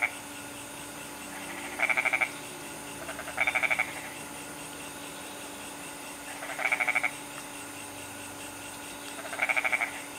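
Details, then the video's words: Goat frog from Bali repeating a bleating, stuttered croak four times across ten seconds, each a short run of rapid pulses. A steady hum sits underneath and faint voices are in the background. "Goat Frog"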